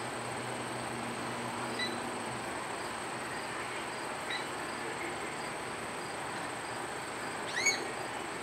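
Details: Justin, a male red panda at Potawatomi Zoo in South Bend, Indiana, sharing with females Raya and Sisu, squeaks after Raya evicted him from his sleeping spot; one sharp, rising, high squeak near the end over a steady background hum.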